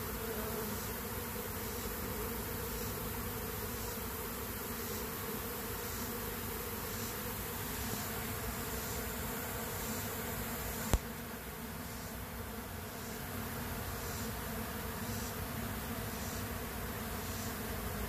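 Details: A dense, steady hum of many western honey bees buzzing together as a weak, queenless colony is robbed by a stronger colony.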